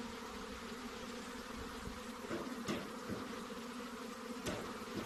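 Honey bees fill the air with a steady, low droning hum from many wings at once.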